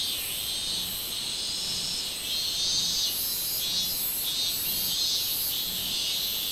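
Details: Song of the robust cicada, 24 July 2016: an unbroken, piercing high buzz with regular louder pulses near the top of its range, roughly one each second, and no other clear sounds.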